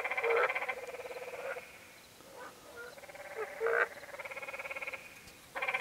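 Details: Canyon tree frogs at Many Pools Trail in Zion National Park, Utah, heard at moderate distance: pulsed, buzzy bleats from several individuals overlapping, with brief louder notes and quieter stretches between.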